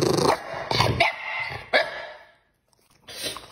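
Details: A pet dog, fierce-looking yet timid, growls at dinnertime while held back from its kibble-and-raw-mince meal until the eat command is given; three or four rough, harsh bursts in quick succession, then a brief silence and one last grumble.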